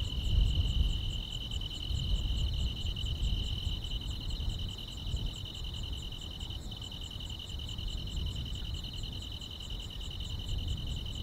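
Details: Grass insects on a quiet rural summer night: a steady, pulsing high trill continues throughout with faint rapid ticking above it, over a heavy low rumbling background noise.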